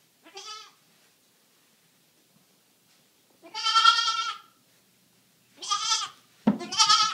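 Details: Two three-day-old goat kids, rescued from a hoarder and now kept as pets at a home, romping and feeding; four wavering, nasal bleats, one short, two long and drawn out, then a quick pair, with quiet gaps between.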